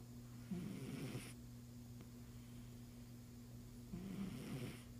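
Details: Sleeping domestic cat snoring: two soft raspy breaths about three seconds apart, each under a second long, over a steady low electrical hum.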